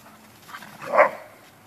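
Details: An Alaskan Malamute, or possibly an American Wolfdog, out adventuring with friends, gives a single short, mid-pitched bark against a quiet background.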